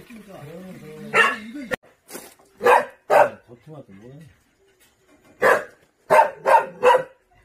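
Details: On Jindo island, South Korea, purebred Jindo dogs give loud, abrupt barks, first spaced singly and then in a quick burst of three, with a human voice at the start and a wavering whine between.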